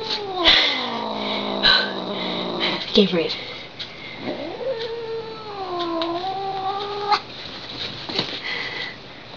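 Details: Lily, a female pet cat, wails in protest after two taps, sounding like a theremin; long, quavering harmonic yowls slide downward, then rise and hold with a wobbling pitch before fading, with a few short sharp noises in between.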